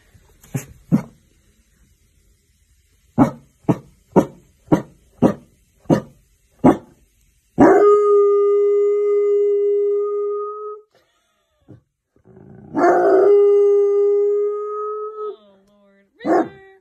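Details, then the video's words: Bloodhounds, described as howling mostly when excited and as a way of communicating: a run of about nine sharp, evenly spaced barks, then a long steady harmonic howl of about three seconds, a second sustained howl, and a final short bark. "Howling Bloodhounds"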